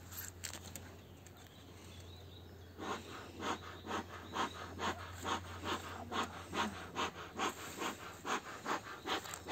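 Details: Jack Russell Terrier recorded at an apiary on 14 April 2022, panting in quick rhythmic breathy bursts a bit over two per second after a quieter start, with soft outdoor background.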